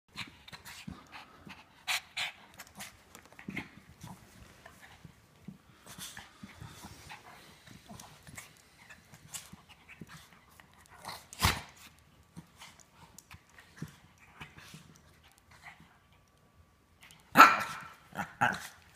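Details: German Shepherd/Great Dane mix dog play fighting and rough housing with a shih tzu, recorded on an iPhone 5S: scattered panting and snorting breaths with sudden sharp bursts around 2, 11.5 and 17.5 seconds.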